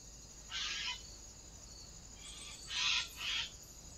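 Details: Fox caught on a trail camera on 14 August 2024: three harsh, raspy broadband calls, a single one and then a close pair, over a steady hiss of insects.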